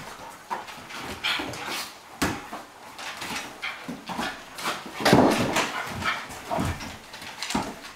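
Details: Two dogs at play, Bonzo the Cairn Terrier and Pippi the Flat-coated Retriever: short rough growly and whiny bursts come in quick irregular runs, loudest near the middle, mixed with scuffling and thumping from the rough-and-tumble.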